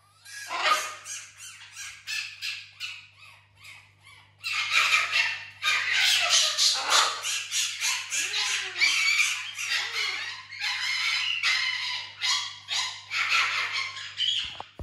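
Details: Indoors on a couch, Tiny the fennec fox, a house pet among other exotic animals, makes long runs of rapid, raspy high squawks in rhythmic pulses, with faint human voice underneath.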